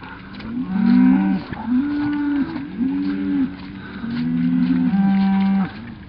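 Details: A herd of cattle is moved slowly between pastures by two herding dogs. It gives a run of deep, drawn-out moos, each about a second long, in low steady tones with slight upward bends.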